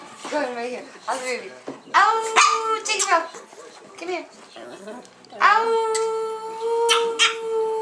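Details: Seven-year-old female Chihuahua singing with her two sisters indoors; long, wavering, tonal howls, some sliding, others held steady, with people talking in between.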